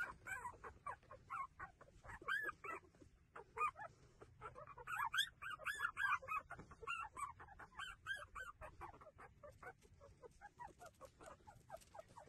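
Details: Cute puppies taking their feed make a busy tangle of short squeaks and whines. Many overlapping voices chirp and whimper irregularly throughout.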